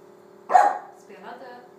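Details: A 13-week-old female Cardigan Welsh Corgi puppy gives one short, sharp bark, followed by a softer, fainter yelp under a low steady hum.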